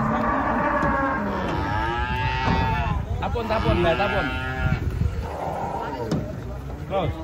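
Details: Large Limousin cattle coming down off a truck in the morning in Indonesia give long, rich bellowing moos, one rising then sinking, others shorter, amid handlers shouting, footsteps and a running vehicle.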